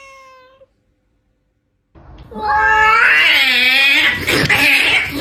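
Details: Domestic cat expressing emotion through meowing and screaming, live sound: a short tonal meow, a pause of about a second, then a loud, drawn-out, wavering scream with a shaky, warbling pitch lasting over three seconds.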